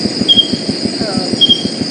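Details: A false leaf katydid, a canopy katydid of rainforest patches whose wings look like a leaf, gives brief, pure whistled notes, almost birdlike, about a second apart.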